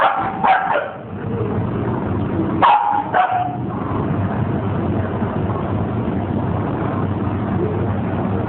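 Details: Puppies giving a few brief, high yips near the start and again around the middle, followed by a steady broadband hiss for the rest of the recording.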